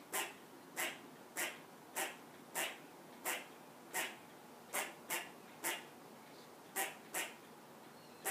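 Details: A squirrel on a perch scolds a cat that came into the yard with a steady series of about fourteen rasping chucks, spaced roughly every half second, over faint background hiss.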